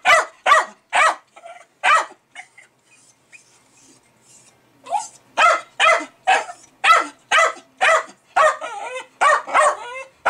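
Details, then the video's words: Jack Russell Terrier named Milo, a pet dog, barking excitedly at fermenting home-brewed beer, perhaps at the bubbles or released CO2; sharp, loud barks in quick bursts, a pause, then a rapid string of barks, with a man speaking softly between them. "Jack Russell "Milo" Going Crazy Over Beer Ferementing"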